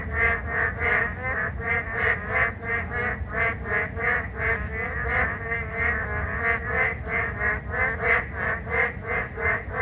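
Narrow-mouthed frogs calling in a dense chorus of buzzy, rattling notes over rain.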